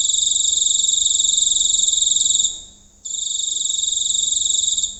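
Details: At close range on a rural night, a giant cricket sings a piercing continuous trill of fast even pulses, stopping once for about half a second and then starting again at full strength.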